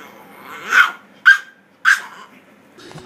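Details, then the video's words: Pet dog coaxed to 'speak' in a funny talking-dog compilation, giving three short, sharp yelping barks spaced about half a second apart, each bright and mid-pitched, between quiet spoken words of encouragement from its owner. "Talking Dog Videos Funny Talking Dogs Compilation"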